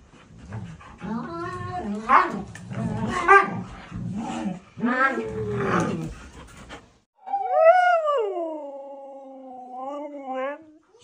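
A Siberian Husky makes chatty, wavering yowls that rise and fall like speech. A sustained howl follows, starting high and easing lower before it fades.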